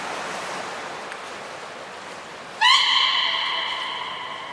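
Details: Beluga during a training session with Niko and Mirai at Port of Nagoya Public Aquarium on 29 February 2020: rushing water-like hiss, then a sudden bright, steady, harmonic whistle holding one pitch to the end.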